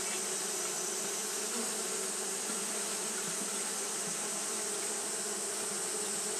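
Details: Continuous wing-fanning drone of Japanese honey bees on a hot day, a thick unvarying hum with layered low bands and broad airy hiss, no pauses.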